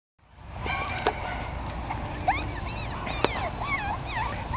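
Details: A 1.5-month-old male Jack Russell Terrier puppy, playing with his littermates, cries in high, thin whimpers that rise and fall in quick arcs, his way of talking by crying.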